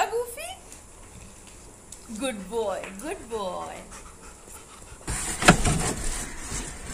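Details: Labrador Retriever named Goofy, eagerly waiting outside an office to pick up his owner for the first time; soft panting with short, high, falling whines around the middle, voices saying good boy, and a loud rustling burst near the end.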